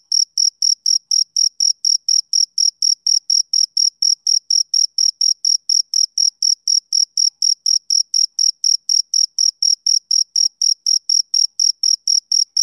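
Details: Summer-evening chirping of a male cricket: a long, unbroken run of identical high, shrill pulses, about three or four each second, steady in loudness and pitch. The surroundings are quiet with no competing sounds.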